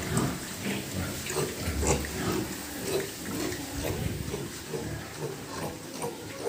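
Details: Pigs at a pig farm giving low, rough grunts that repeat irregularly about twice a second, with steady background noise throughout.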